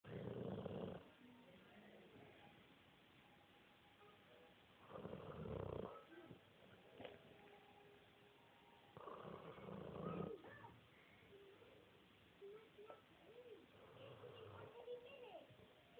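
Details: A 12-month-old Dogue de Bordeaux asleep and snoring: loud, rasping, breathy snores come roughly every four to five seconds. Quieter wheezy breathing fills the gaps, with faint background noise.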